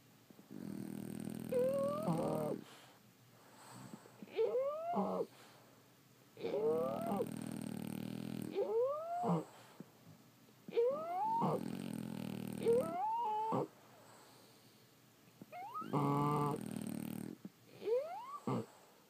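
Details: Several French Bulldogs asleep, snoring steadily. About seven breaths in sequence: squeaky rising nasal whistles leading into rough, rattling snores with an uneven rhythm, and soft gaps between breaths.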